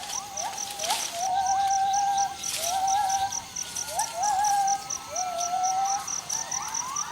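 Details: Gibbon named Jarunee in Thailand singing: a series of rising whistled swoops followed by wavering, quavering notes near the same pitch, repeated about every one to two seconds, over steady rhythmic insect pulses high above.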